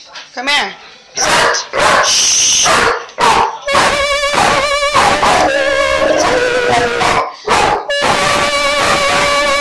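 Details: German Shepherd howling along while singing with its owner; wavering drawn-out howls mixed with a person's voice, broken by short pauses.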